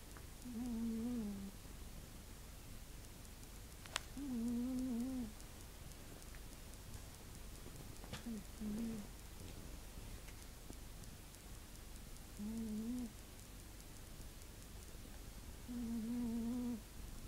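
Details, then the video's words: Spanky, a pet cat, snoring while dead asleep: soft, tonal, humming snores, each about a second long with a slightly wavering pitch, returning roughly every three to four seconds over a quiet indoor hiss, with a few faint clicks. "Snoring Spanky Kitty"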